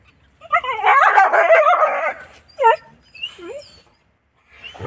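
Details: Desi village dogs meeting a house dog give a dense run of wavering, rising and falling whines, then a few short yelps and a brief bark near the end.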